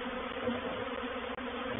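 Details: Many honey bees from a reproductive swarm settling into a swarm trap at Painted Peacock Manor, 04/07/21, make a thick, unbroken droning roar with layered humming tones and one momentary dip.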